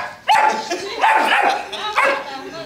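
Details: German Shepherd giving three loud, rough barks with a brief yelping onset, the first bark longest, followed by two shorter ones about a second apart.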